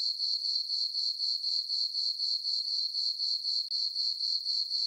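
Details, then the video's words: Crickets at night in a summer meadow on a farm under dark skies and a full moon: a bright, high, ringing chirp repeating rhythmically around four times per second, with a momentary drop near the end. "Cricket chirping sounds for sleeping"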